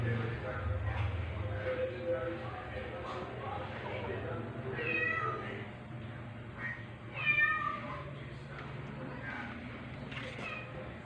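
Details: Foster rescue kitten, one week old, meeting black nursing cat Pepper on 4 July 2022; several brief, high, thin mews spaced a few seconds apart, a low hum and human voices in the background.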